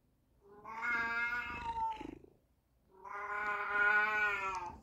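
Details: Baby, a calico house cat, demands attention indoors with two long, loud, drawn-out meows, each about two seconds with rich harmonic tone and a short pause between them, while Buddy, a black cat, sits sunning in the window.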